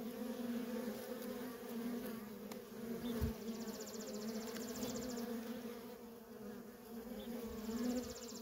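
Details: Continuous droning buzz of worker bees in heavy traffic at a feral honey bee colony, with a brief thump and a faint, rapid, high ticking trill in the later seconds.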